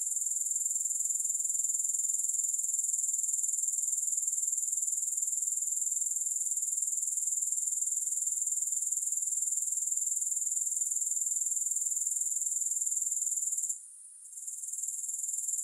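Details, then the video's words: A long, level, high-pitched rasping trill of grasshoppers with no music, fast regular pulsing sustained for nearly fourteen seconds, then a brief quiet dip before it builds again. "Grass Hopper Sounds"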